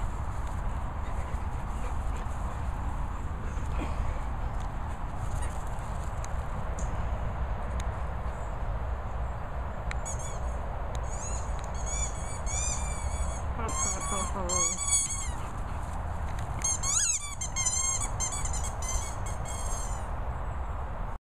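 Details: Madussa, a Staffordshire Bull Terrier, mooching: quiet at first, then a run of thin, wavering, high squeaks in the second half over a continuous low hum.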